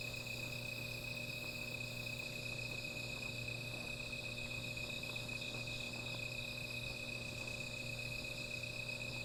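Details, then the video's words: At night by a small fire, insects keep up a continuous high, bright drone made of several steady layers, with faint low humming and light clicking in the background. "Sound of Insects"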